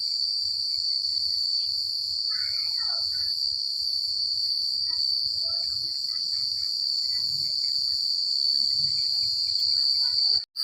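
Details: Crickets chirping at night in the quiet countryside, a steady high continuous trill dominating throughout, with faint scattered bird-like chirps, low rustling in the background and a brief dropout near the end.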